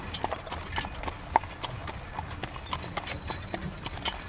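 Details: Hooves of a horse drawing a carriage in rain strike in a quick, even clip-clop rhythm, with one brighter knock standing out, all over continuous rain hiss.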